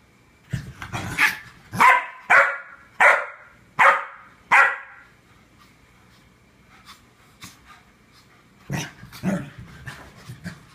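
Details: Two dogs barking, recorded September 2014: a run of six loud sharp barks about one per second, a pause with faint sounds, then a second burst of barks near the end.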